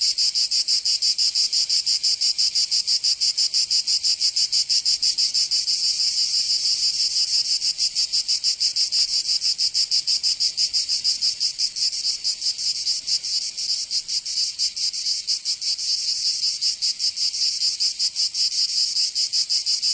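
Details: Many cicadas in southern France's Provence during summer produce a constant sizzling high drone with fast, slightly irregular throbbing pulses, no birds or voices audible.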